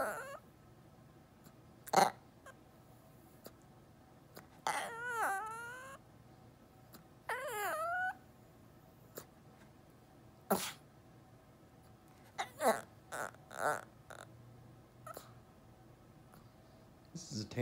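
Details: Defiant chihuahua throwing a tantrum to be lifted onto a chair: two long quavering whines that bend upward, then scattered clicks, taps and brief yelps across a quiet room.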